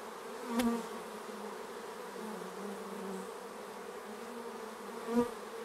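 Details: Bees around the hive at an apiary make a constant droning hum; two bees zip close by, one near the start and one near the end, each a brief louder buzz with a click.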